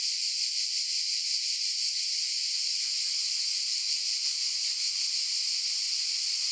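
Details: A wall of cicada sound, bright and rasping, with a quick throbbing pulse near three beats per second running under the continuous high buzz; loudness stays level.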